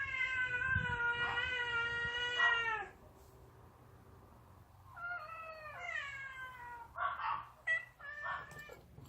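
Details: Outdoor yard cat offered pouch food for a taste test: a long, drawn-out, richly harmonic meow of nearly three seconds that drops at its end, a quiet pause, then a wavering second meow and a few short, clipped mews.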